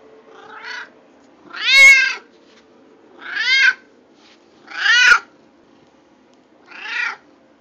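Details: Domestic cat meowing indoors: five separate harmonic meows over about eight seconds, each rising then falling, with the second and fourth the loudest, over a faint low hum.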